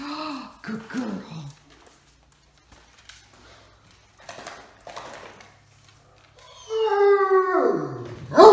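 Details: Max, a sleepy Great Dane indoors, grudgingly leaving bed and complaining as he heads to the door with his sister Katie to act as watch dog: drawn-out, falling, moaning howls open and close the passage, with human speech between.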